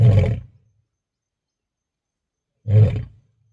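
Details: A lion seen on safari gives two deep, throaty roars, each about half a second long, separated by silence.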